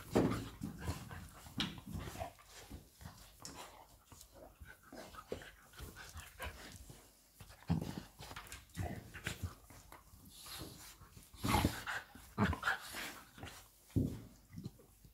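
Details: Indoor play between Labrador Retriever Lilly and her puppy Molly, heard as a steady run of huffs, panting and scuffling bursts, with louder rough growly outbursts toward the end and constant rustling of bodies.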